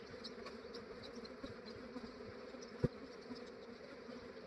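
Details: Early-morning collection of a large honey bee swarm in Australia. A continuous low hum of massed wingbeats, with one sharp knock near the end and brief nearer buzzes over the drone.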